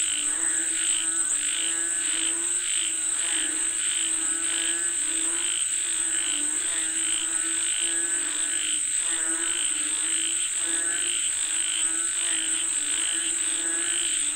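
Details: Calling for rain, a frog chorus of rapid rattling croaks with bright trills repeated about every second, over an unbroken high-pitched whine.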